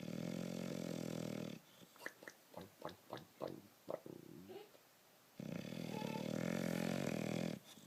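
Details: A pet bulldog snoring while asleep: long, raspy, breathy rumbles lasting over a second each, with a run of short snuffling, clicking breaths between them, recorded close up indoors.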